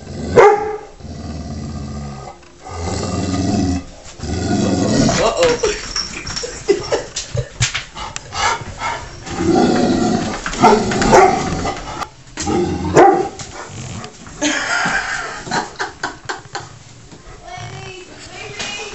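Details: Sharp barks and growls come from Taz, a pet dog picking on the cat Sky during their regular standoff. Human voices talk over and between the irregular bursts.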